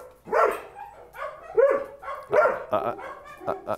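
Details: Domestic dog in a fenced yard barking toward a dog beyond the fence, reacting to a perceived threat; a rapid series of about five sharp barks spread over a few seconds, with speech mixed in.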